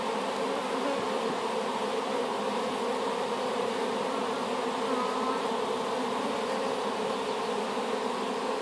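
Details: Newly hived swarm of honey bees, taken from an apple tree, producing a constant, thick hum of countless bees, even in loudness throughout, with nothing else standing out.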